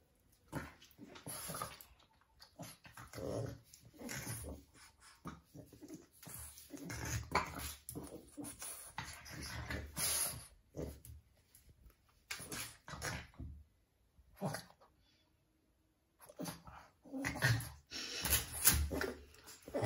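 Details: Two Boston Terriers play-fighting indoors: bursts of rough growls, snarls and scuffling come in quick flurries, with a short lull near the end before the tussle starts again.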